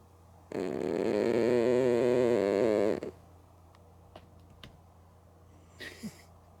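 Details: Mookie, a female cat sleeping with her eyes open, lets out one long loud rasping snore of about two and a half seconds, then quiet with faint clicks and a brief soft sound near the end.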